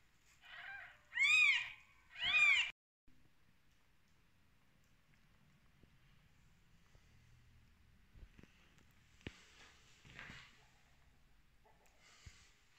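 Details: Kittens on their first day after birth, the mother cat having just delivered them: two loud, arched meows close together at the start, then near silence with a few faint clicks and rustles.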